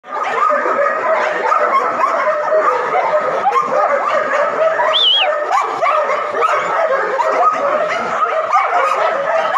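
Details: Samoyed puppies, male and female, in Jamshedpur, India, producing a dense continuous chorus of high yips, whines and barks from several dogs at once, with one rising-falling squeal standing out midway.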